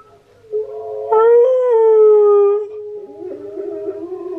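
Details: Husky singing: Steel the husky's howl, with Key the husky reacting with head tilts. A faint start swells into a loud, sustained, harmonic-rich howl that rises slightly and then sags, followed by a quieter, lower wavering tone.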